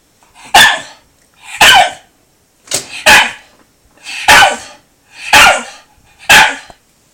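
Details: Sora, a Shiba Inu desperate to play with a cat, barks loudly and steadily indoors, about one harsh bark per second, seven in all, each with a rough throaty edge.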